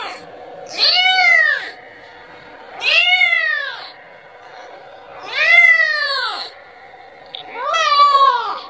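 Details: Kitten calling for its mother and asking for milk: four drawn-out, arched meows with rich harmonics, each about a second long, spaced roughly two to three seconds apart against a quiet indoor background.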